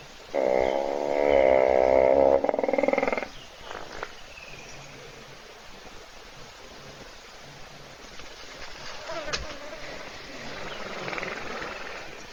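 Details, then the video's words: Hippo asleep in a puddle at an Africam waterhole camera near Kruger National Park, South Africa, thirsty animals waiting nearby; opens with a strong, harmonic, buzzing snore about three seconds long, followed by soft clicks and quiet bush ambience. "Бегемот Hippo храпит в луже"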